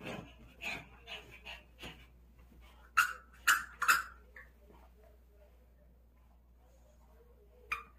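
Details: Pet dog excited while playing with a ball indoors gives three sharp, loud yelping barks in quick succession, then a single bark near the end, with soft human voices and small whimpers in between.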